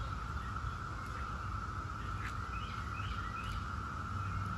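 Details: 17-year periodical cicadas of Brood X: a steady, unbroken droning whine holds at one pitch throughout, with faint scattered bird chirps and low outdoor rumble beneath.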